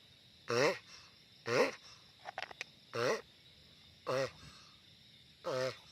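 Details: Giant sulcata tortoise making loud calls: five short, harmonic, wavering groans, each about a quarter second long, spaced roughly a second apart, with a few brief clicks in between against a steady background hiss.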